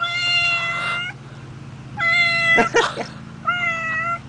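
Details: A stray cat found near a basketball game meows three times: two long, even, nasal cries about a second each, then a shorter one after a pause, with a brief rustling thump between and low breathing noise behind.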